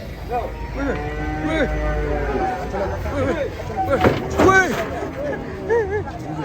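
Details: Cattle being unloaded from a truck, a long low moo with steady stacked harmonics held through the opening seconds, followed by loud excited human shouts with rising and falling pitch.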